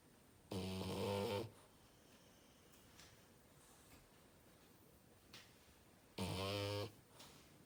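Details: French bulldog snoring loudly, two long rasping snores with strong low harmonic buzz, at about 0.5–1.5 s and 6.2–6.9 s, separated by quiet breathing in a small indoor room.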